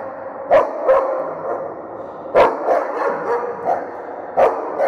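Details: German Shepherd eagerly welcoming its owner home: three sharp, loud barks about two seconds apart, separated by softer excited whines and huffs.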